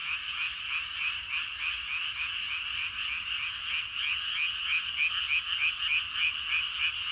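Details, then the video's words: Crowd of frogs croaking in rice fields at dusk, a loud, unbroken chorus of quick rhythmic pulses, about three per second, rising and falling slightly in intensity, with nothing else clearly heard. "저녁때 논에서 개구리 울음소리가 대단합니다. 개구리들이 엄청 많은가봐요!"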